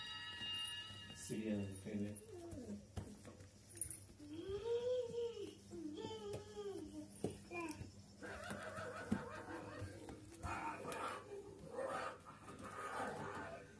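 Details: Dobermann puppies, 23 days old, whimper and squeal in high, arching whines while people talk softly nearby.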